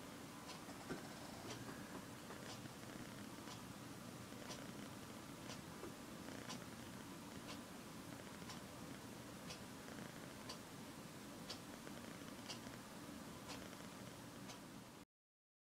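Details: Pokey, a female pet cat, sleeping indoors in odd positions and purring: a soft, steady low rumble that runs throughout, with faint regular ticking clicks about every half second above it.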